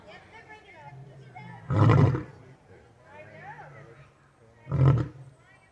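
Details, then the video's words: Captive lions at an exotic feline rescue: two deep, loud roaring grunts about three seconds apart, low and rumbling with a burst of breathy noise, over a steady low rumble and faint higher chatter. "Lions making noise"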